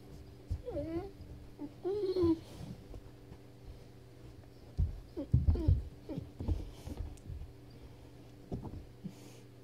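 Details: Weimaraner, frustrated after getting stuck under a bed, lets out a pair of high, wavering whines, followed by bumping, scratching and thumping sounds as it shifts about, with a steady low hum underneath.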